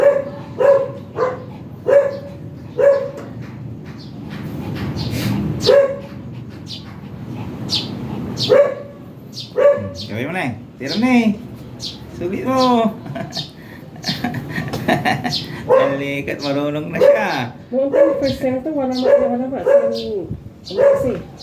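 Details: Shih Tzu dog at a stud service in San Jacinto, Pangasinan, barking and whining in short wavering bursts throughout, with a repeated steady short tone recurring over the calls.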